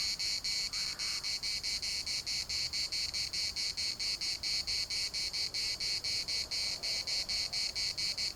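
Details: Larnaca municipal park cicadas keep up a loud, high, rasping buzz chopped into quick pulses roughly four per second, with a brief faint lower call near the start.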